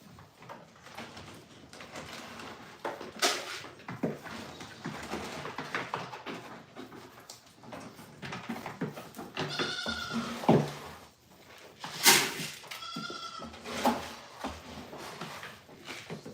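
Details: Goats at The Willful Goat Farm & Home during milking of first fresheners not yet used to being milked. Clanking and shuffling noise fills the clip; two short, quavering bleats come near the end, a couple of seconds apart.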